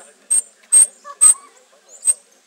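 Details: A white-faced monkey that sounds like an ordinary monkey gives short, sharp, very high squeaks in a quick, uneven series.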